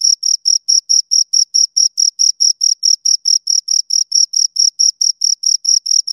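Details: Two crickets chirping close up: clean high-pitched chirps with a bright overtone, repeated steadily about four per second in an even pulse, with no other sounds in the background.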